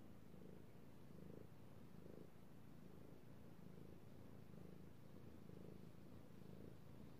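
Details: Domestic male cat purring while being petted indoors: a low rumbling purr that swells and fades in a regular rhythm, roughly one breath cycle every second, with no other sounds.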